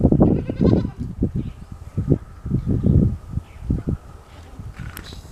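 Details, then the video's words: Goat kid drinking its mother's milk in the morning: rhythmic low gulping and sucking thumps, with a short harmonic bleat near the start. "Morning time goat 🐐 drinking milk 🥛 relaxing sounds"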